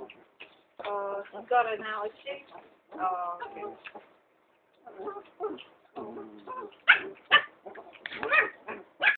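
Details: A baby long-haired Chihuahua play-fighting with a sheltie: strained whining yelps with stacked tones, then rapid sharp yips and small barks tumbling over each other, after a short pause, with some human speech mixed in.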